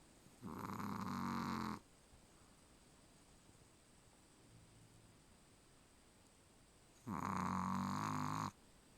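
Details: A Chihuahua called Charlie sleeps soundly, snoring twice about six seconds apart, each a harsh nasal snore of over a second with rich low harmonics, with faint breathing in between.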